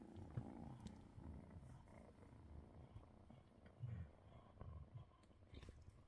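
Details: Kittens purr, a low steady rumble pulsing with each breath, while the cat Mustachio gets belly rubs in the evening on December 30th.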